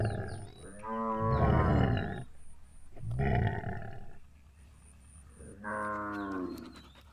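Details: Gir cattle during milking: three lowing calls spaced about two seconds apart, each opening with a buzzy harmonic moo that turns into a deeper, rougher rumble; intermittent thin high beeping tones and faint chirps behind.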